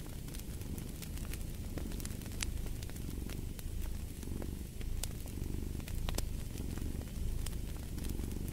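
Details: Low purring from a pet cat pulses in gentle waves roughly once a second. The crackle and snap of a wood fire in a fireplace runs through it.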